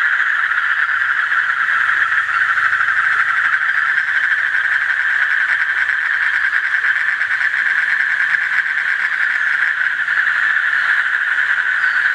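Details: Asian common toad calling: a steady, buzzing pulsed trill at mid pitch that runs unbroken for the full twelve seconds, dense like a chorus, with faint low rumble beneath.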